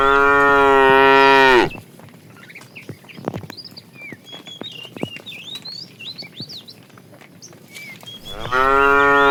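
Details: Tame cows herded toward green pasture in the morning; two loud, steady moos open and close the recording, separated by a quiet stretch of small birds chirping and a few clicks.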